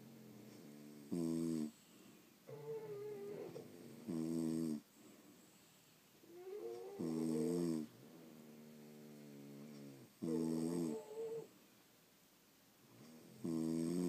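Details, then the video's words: French Bulldogs sleeping indoors, snoring in loud harmonic rasping bursts about every three seconds, each inhale a buzzy stacked tone, with quieter wheezy exhales and soft whistling breaths between. "Snoring French Bulldogs"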